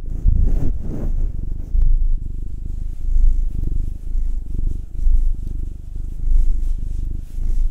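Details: Massaged house cat, one of a nine-year-old black tom and a two-year-old tortoiseshell Munchkin female, purring loudly and steadily; a dense low vibrating drone pulses gently in waves, with faint rustling of hands on fur.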